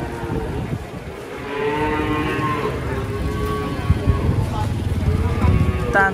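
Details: Agitated cow unloading from a truck, ears flicking and kicking: a sustained, deep moo swells after a quieter start, followed by shorter lowing, with speech and faint music around it.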